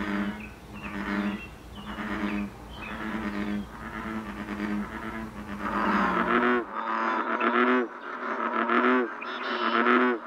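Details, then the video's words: American bullfrog calling in the Canadian wild in breeding season: low, resonant croaks at a steady pace, then a louder, more ringing run of bellowing notes that sound bent or warbling. "Saison des amours du ouaouaron/Breeding season of the Bullfrog"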